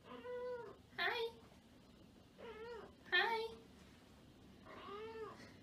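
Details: Domestic cats indoors giving a run of harmonic meows, about five calls over six seconds, each bending up then down, some short and nasal, others drawn out, with quiet pauses between.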